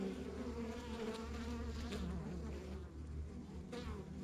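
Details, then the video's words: Honey bees buzzing at a rural backyard beehive, a short stretch of steady humming tones over a strong low rumble, with a few brief sharper sounds. "Relax to the Sounds of Our Backyard Buzzing Beehive"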